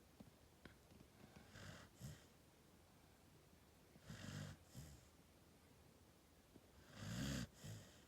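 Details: Snoring from Gen-chan, a sleeping dog of one year eleven months, in a small indoor room: low rumbling breaths with airy hiss, roughly every two to three seconds, the last one loudest and most rattling.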